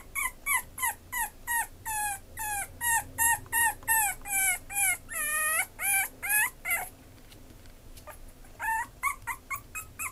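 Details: Maltese-Chihuahua mix dog whimpering in a series of high, whiny yips, about three per second, each bending up then down in pitch, for some seven seconds; a short pause, then a few softer, shorter yips close the recording.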